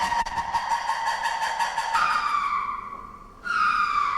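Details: A lemur of Madagascar gives long, eerie wails with a steady, reedy pitch that jumps higher; after a brief pause, a second wail starts high and slowly falls away.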